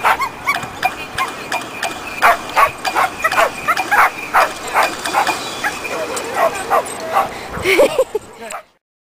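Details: Female dog at her first lure coursing event at a local dog park, hyping herself up in line before the course and straining against a makeshift leash harness. She gives rapid, excited barks and yips, two to three a second, while a person talks and urges her on.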